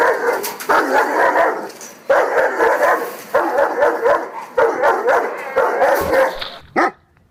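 A Dogo Argentino makes an odd, talkative barking: five or six rough, mid-pitched bursts, each held for about a second with short breaks between. A brief sharp yelp closes the sequence.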